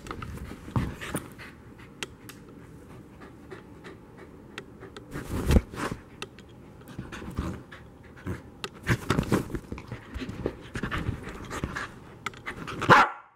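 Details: A corgi pants in quick, breathy bursts while being followed at corgi level during chasing play, with scuffling thumps and a brief whimper.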